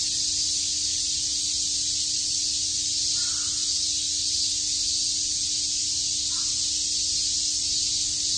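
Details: Cicadas chirping together on a summer day in Shakujii Park, Tokyo: a dense, steady, hissing high buzz that never pauses, with two brief faint lower calls near the third and sixth seconds.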